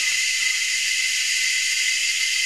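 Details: Steady wall of cicada noise from Anstead, Queensland, Australia, where several species call unseen from the tops of the trees; a continuous high, hissing buzz with a narrow whining tone running through it, never pausing.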